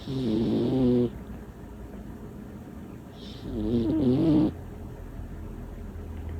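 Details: Butters, a small female cat, snoring loudly in her sleep: two long, rattling, wavering snores about three seconds apart, each with a hissy breath on top, and a steady low hum in the room.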